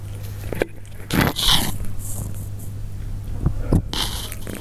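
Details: Persian cats eating, heard up close indoors: loud crunchy bites come in broad bursts near the first, second and fourth seconds, with soft wet clicks between them, over a steady low electrical hum.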